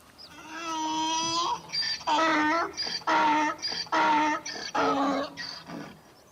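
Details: A donkey brays, opening with one long drawn-out tonal wail before breaking into rapid alternating honks and hoarse gasps that taper off.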